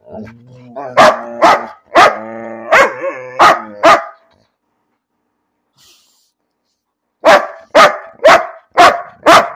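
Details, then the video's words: Dog vocalising for no apparent reason: a drawn-out, wavering whine-like howl broken by sharp barks, a silent gap, then a rapid run of five loud barks. "Dog talking about nothing"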